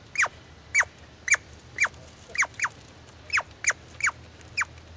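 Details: Squirrel giving short, sharp chirping barks that drop quickly in pitch, spaced irregularly at roughly half-second gaps, some in quick pairs, against a quiet background with a soft low rumble.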